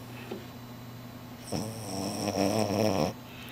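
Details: A sleeping French Bulldog snores like a human during a midday nap: one low, rattling, buzzy breath lasting over a second.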